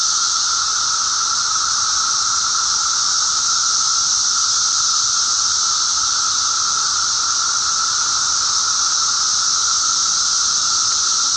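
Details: Thousands of emerging periodical cicadas (Magicicada), eastern North America, May 19, 2011, fill the air with a steady, seamless drone: a sustained whining tone beneath a sizzling high hiss, no pauses or rhythm changes.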